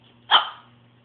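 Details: Puppy, just bathed, giving a single short, sharp bark on the command to speak for a peanut butter treat; the bark is bright and clipped, followed by a faint low hum in the room.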